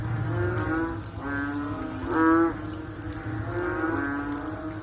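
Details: Low, mooing frog calls after rain. One stronger call rises out of the middle, with weaker calls from neighbouring frogs before and after it, over a dull background hum.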